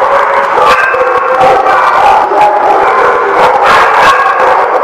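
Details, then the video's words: A crowd of dogs recorded at The Barking Lot on 28 April 2017 keeps up a continuous wall of barks, yips and howls, loud and unbroken. "The Barking Lot"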